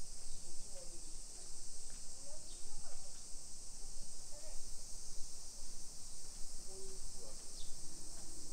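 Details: Summer cicadas in a hillside residential suburb of Nisshin, near Nagoya, Aichi Prefecture, Japan, at 1 PM on 28 July 2021: a steady high hiss of insect chorus under faint voices and short low chirps.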